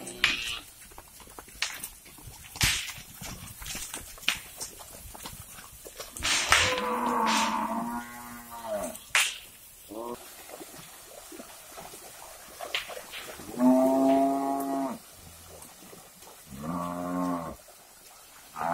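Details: Herd of cattle crowding into a river as herders move them to new grazing, near an oil palm plantation; three drawn-out, harmonic-rich moos about every four seconds, over scattered clicks, knocks and hoof or water noise.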